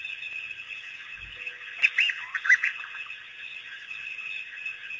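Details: At Pete's Pond, a pack of Cape hunting dogs freed by researchers visits the waterhole for the first time, April 5, 2008; a brief run of high, curving squeals, then quieter background hiss.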